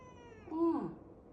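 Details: Cat giving a single short meow, falling in pitch, with a low background hum.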